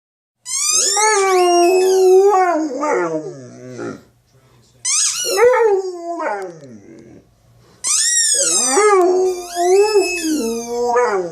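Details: Dog named Yawk howling in protest at a football's sound: three long, loud wailing cries with rich harmonics, each starting high, sliding down and wavering, separated by short silences.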